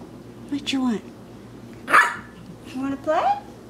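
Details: A playful Maltese puppy in Plainfield/Naperville, Illinois, recorded in April 2014, lets out three barks about a second apart. The first and last are high, whiny yips and the middle one is a loud, harsh bark, over quiet room noise.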